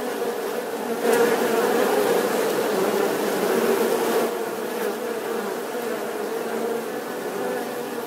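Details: Continuous bee buzz, a thick droning hum that swells slightly in the first seconds then holds steady, with faint brief clicks.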